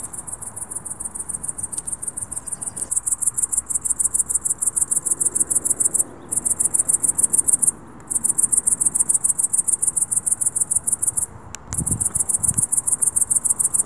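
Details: Dusk cricket calling in a high-pitched, rapidly pulsed chirp, about three to four pulses a second, halting briefly a few times before resuming; faint low background hum.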